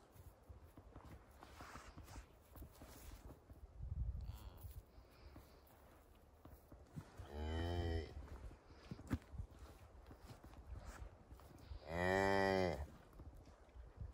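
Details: Highland cattle mother with her one-day-old calf following her through a forest on a farm in Finland, 29 October; two long harmonic moos near eight and twelve seconds, a short low grunt before, over rustling steps.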